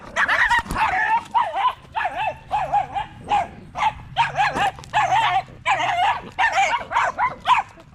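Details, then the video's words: A pack of male Staffordshire Bull Terriers chatting at the park one evening: steady, evenly spaced barks with a quick up-down pitch wobble, nearly two each second, with a faint low hum beneath. "Long evening at the park male wolf pack chat"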